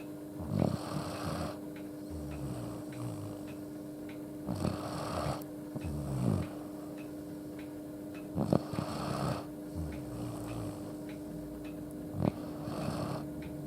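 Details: Akita named Yuuki asleep indoors, head resting on a person's feet and tilted upward, snoring loudly enough to fill the room: deep rumbling snores in bursts about every four seconds, softer breaths between, steady faint hum behind.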